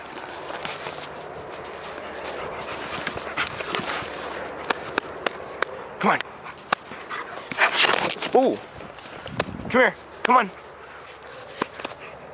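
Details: German Shepherd dog named Kia, playing: after a stretch of voices and scattered taps, a few short, arched harmonic barks or yelps come near the end, spaced about a second apart, with people talking throughout.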